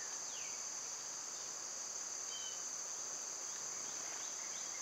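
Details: Cicadas in summer, loud at that time of year, make a steady high droning buzz that holds unbroken throughout, with faint thin bird notes sliding down in the background.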